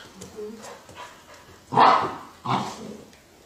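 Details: Golden Retriever in a 2017 funny-dog compilation letting out two loud, rough barks less than a second apart after quiet murmuring and soft background speech.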